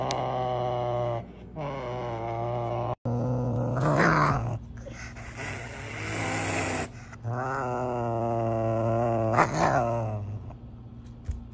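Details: Serval calling while asking for food: long, low, droning harmonic roars held for several seconds with short breaks, a rougher noisy burst around the middle and a sharp final note.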